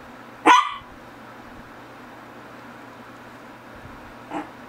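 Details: A single loud, abrupt Shih Tzu bark from the GGung and SSong household, followed by near-silence and one much softer, shorter bark about four seconds later; steady low hum in the background.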